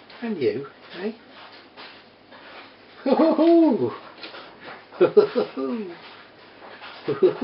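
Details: Border Terrier puppies, four weeks old, kept indoors with their three-year-old mother: irregular falling whimpers and one longer arched whine in the middle, the cries coming in small bursts over quiet room background.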